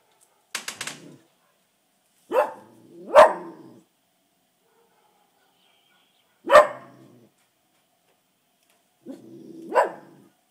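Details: A house dog barking at passers-by, as it does daily and even at night: single and paired barks several seconds apart, some trailing into a rough, low rasp.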